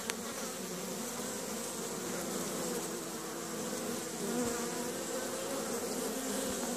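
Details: Many honey bees, active at a hive on a sunny April 25th, 2015, in Caribou, Nova Scotia, hum together in a steady, droning buzz with low wavering tones.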